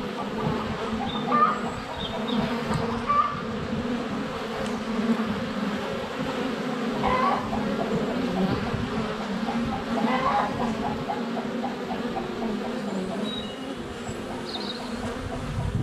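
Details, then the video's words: Dense buzzing from honey bees crowding a hive entrance in February sunshine, captured by a GoPro Hero 7 Black less than a foot from the hive; the hum wavers as bees pass close, with soft chicken clucks and birdsong in the background. "Honey Bees - ambient video and audio"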